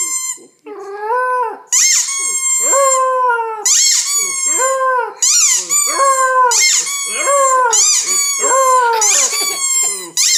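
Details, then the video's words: A white German Shepherd puppy, female and nine weeks old, howls indoors as a squeaky toy is squeezed: long wavering mid-pitched howls that rise and fall, interleaved with sharp, high, repeated toy squeaks. "Dog howling at squeaky toy"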